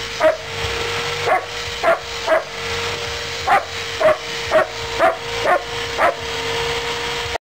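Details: German Shepherd playing rough; a series of brief, sharp barks about twice a second, fairly irregular, above a constant background hiss and a steady low tone.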